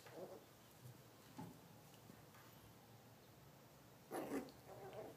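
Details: Two purebred Miniature Pinschers play fighting, a 10-week-old female puppy with uncropped ears and undocked tail against a 1-year-old male; short rough vocal bursts come near the start, again around one and a half seconds, then two close together near the end, with quiet scuffling between.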